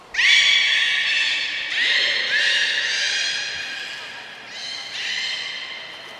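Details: Aquarium beluga at Port of Nagoya Public Aquarium on 3 November 2023, playing after a fish feeding; a near-continuous string of rich, nasal harmonic squeals, about two per second, steady in pitch, fading briefly before a final burst.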